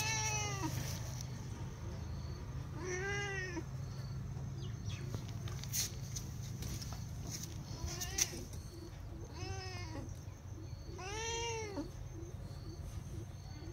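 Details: Cat named Sorna meowing nonstop for food: a run of arched, falling meows, some short and some drawn out, spaced irregularly, with light knocks and a steady low hum behind.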